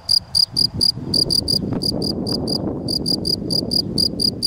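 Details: Field cricket, Gryllus campestris: bright ringing chirps in short groups of two to four, repeated evenly, with a steady low background rumble underneath.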